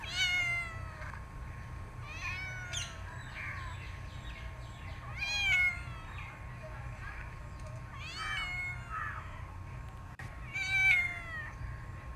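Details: Cat meowing in a run of high, thin, slightly falling meows, about five over twelve seconds, spaced roughly two to three seconds apart, with a steady low hum beneath.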